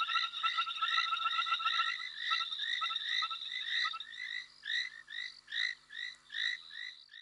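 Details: A small frog calling at night amid a chorus of overlapping short, bright chirps and quick whistled notes, thinning toward the end into separate rising chirps about a second apart.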